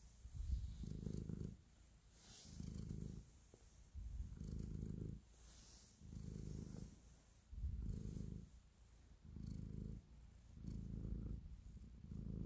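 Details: Kneading pet cat purring affectionately; a low vibrating drone rises and falls with each breath, seven rhythmic swells across twelve seconds, accompanied by soft intermittent rustling.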